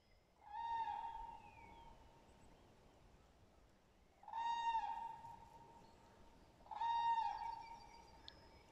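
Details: Dachshund on a walk outdoors, giving three drawn-out, steady whining tones of about a second each, spaced roughly three seconds apart, over a faint outdoor background hiss.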